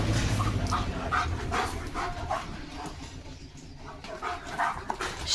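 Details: German Shepherd named Leo racing off on seeing another dog, giving a fast series of barks against constant low background rumble, the volume easing midway before rising again.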